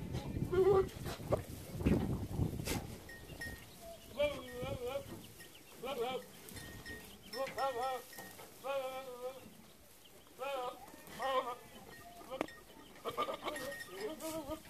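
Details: Boer goats, newly acquired breeding bucks, in San Jerónimo Zoyatitlanapan, calling with a run of short, wavering, nasal bleats about once a second, after a man speaks briefly at the start.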